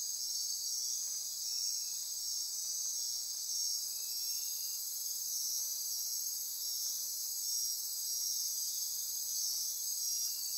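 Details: A midnight insect chorus in Costa Rican rainforest near Corcovado National Park on the Osa Peninsula: a dense, steady, shimmering high-pitched drone of pulsing, trilling insects, with occasional frogs breaking through.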